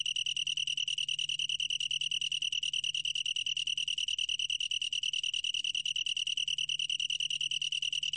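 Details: A long-tailed tree cricket keeps up a bright, ringing trill made of quick regular pulses, unchanging in pitch and loudness; recorded for the National Institute of Biological Resources in 2020, with light low-frequency hum.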